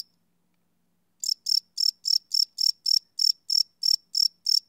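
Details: Cricket chirping at night, recorded live without loops on a Sony PCM D100 field recorder; after a second of silence, high pulsed chirps begin and repeat steadily about three times per second.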